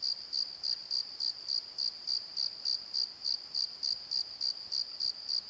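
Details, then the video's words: At night in a valley bottom, crickets give bright, evenly spaced high chirps, roughly three to four per second, steady throughout. "Crickets and Croaks! Pozo Night Tree"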